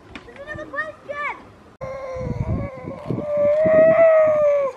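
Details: Grey seals at Donna Nook, Lincolnshire, on 5 November 2018, early in the pupping and mating season: brief rising-and-falling yelps, then a long, steady, wailing moan that sags at its end, with low murmuring voices beneath.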